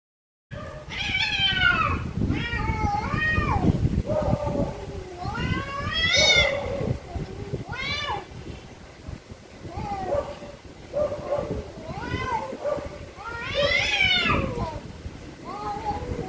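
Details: Very angry cats meowing very loudly: a rapid series of harmonic-rich meows, many rising then falling, some long and wavering, following each other closely over a low rumbling background.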